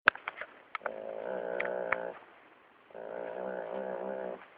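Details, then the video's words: Pet dog making a funny sound: two drawn-out, rumbling, harmonic groans of about a second and a half each, separated by a short pause, preceded by a few sharp clicks. "Dog makes funny sound"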